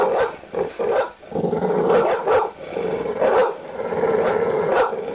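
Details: Loud, angry large dog giving deep, aggressive barks. Barks come irregularly, some short and sharp, others stretched into rough, growl-like bursts, with a persistent noisy undertone.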